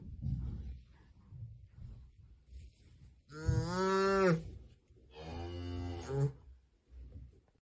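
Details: Young calf, possibly Siamese, calling with two loud, drawn-out moos about one second each, the first hoarse and rising, the second slightly shorter, over low background rumble.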